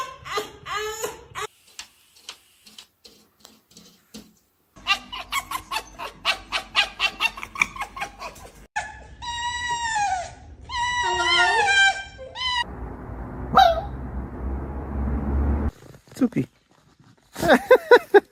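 A pet fox gives high, wavering squeals and chattering yelps while a person talks to it indoors.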